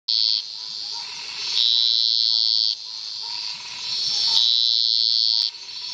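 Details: Scinax villasboasi in a marsh by a flooded rock outcrop in cerrado near Serra do Cachimbo, Guarantã do Norte, northern Mato Grosso, Brazil: long, high, shrill buzzing notes of one to two seconds, repeated back to back.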